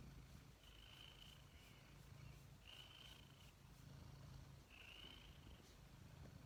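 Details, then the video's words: Dozing cat snoring indoors: low, continuous rumbling breath with three faint, thin high whistles, each about a second long, recurring every two seconds or so. "Snoozing Snoring cat"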